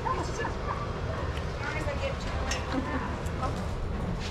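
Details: Dogs at play in a shelter yard at Pima Animal Care Center, Arizona, watched by trained handlers; faint, short yips and barks scattered through a steady background murmur of people's voices.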